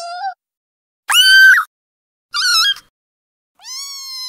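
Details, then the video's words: Newborn kittens meowing: four short, high, harmonic mews about a second apart, some rising then level, others sliding upward, with silence between calls. "Sonidos de gatitos recién nacidos"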